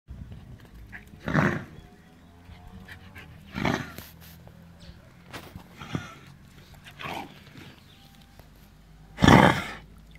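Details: Dog barking, from a recording featuring the dogs Enzo and Ozzy: five loud, harsh, broadband barks come at uneven gaps of one to three seconds across ten seconds, the last the strongest, over a steady low hum.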